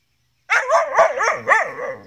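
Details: Gerberian Shepsky Beau wanting his collie cross German Shepherd sister Venus to play with him; a continuous run of four or five wavering, yodel-like whining pulses, each rising and falling, after a moment of silence.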